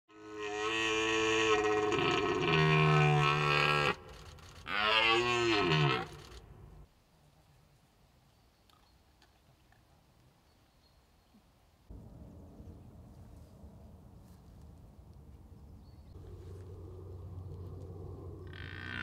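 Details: Red deer stag during the rutting season: two loud, harsh, harmonic-rich roars in the first six seconds, the second dipping and rising, followed by near silence and then a low background rumble.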